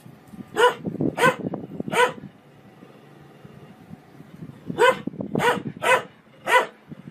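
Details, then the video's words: Dog in a funny barking compilation gives a few loud, sharp barks, three close together, a gap, then four more, with scuffling background noise between them. "Most funny dog barking videos compilation 2016"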